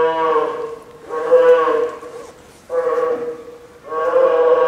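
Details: Nine-month-old female polar bear cub at Maruyama Zoo, Sapporo, Hokkaido, Japan, fussing apparently from hunger around 11 a.m. on 2 October 2015 during typhoon rain and wind; four drawn-out, moaning, bleating cries, each about a second long.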